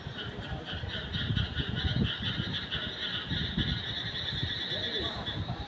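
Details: Frogs calling at night, heard as a dense, continuous chorus of pulsing, trill-like notes held in two steady high bands, over irregular low rumbling and thumping throughout.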